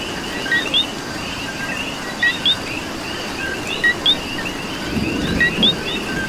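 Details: Rainy Puerto Rican night chorus with a coqui sounding its paired whistle, a short lower tone then a bright rising one, three times in the second half. Distant frogs chirp constantly and a gust of heavier rain patters near the end.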